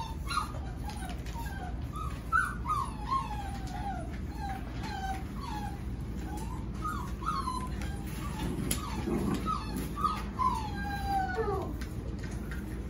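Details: Golden Retriever puppies, seven weeks old, Pearl's litter, giving thin whining cries that climb and drop in pitch, repeated irregularly and sometimes overlapping, with a brief louder squeal near the end and a constant low hum beneath.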